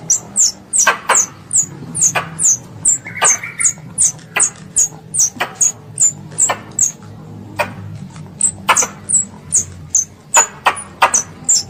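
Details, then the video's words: A squirrel, called a pest, calls for its mother with piercing high squeaks that drop in pitch, repeated rapidly and fairly evenly, broken by loud clicks and a brief lower buzz. "THE SOUND OF A SQUIRREL CALLING ITS MOTHER"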